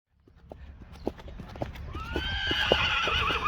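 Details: Friesian horse, one of a stable of 25 brought to graze a grassy front yard, whinnies loudly and tonally with a wavering, slightly falling pitch for over a second, preceded by irregular hoof clops on the ground.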